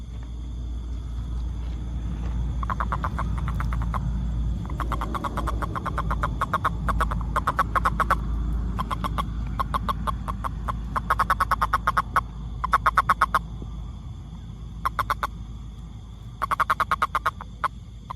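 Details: Toad calling, named with the tag rainfrog: short pulsed croaks centred near one pitch, given in rapid bursts of several notes with brief gaps, over a steady low rumble of background noise and a faint constant high hum.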